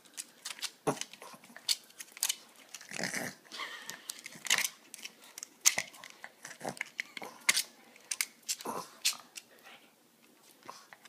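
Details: Boston terrier snorting while walking for a bone, indoors; a string of short, breathy, broadband snorts and sniffs in irregular bursts, some louder huffs, quiet gaps between.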